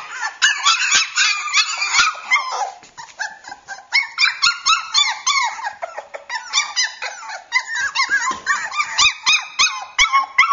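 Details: Indoors, Cockapoo puppies Champ and Sable, both wanting to be held, keep up a long stream of shrill, squeaky yelps and whines, roughly four a second, punctuated by faint taps and rustles.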